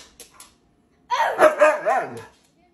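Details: Siberian Husky Moon, a pet dog at play with his owner, lets out a brief warbling yowl that bends up and down for about a second after near silence.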